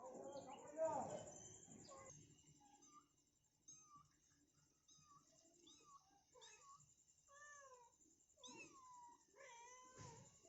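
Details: Mother cat repeatedly calling her kitten indoors: after a muffled noisy start, a series of short, soft mews comes about every half second. The mews grow louder and longer toward the end, with faint background hiss.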